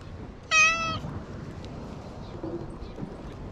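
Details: Stray cat on an island, recorded with a GoPro HERO8 while it wanders looking for something. One short, bright, strongly harmonic meow near the start, followed by low outdoor rumble and wind.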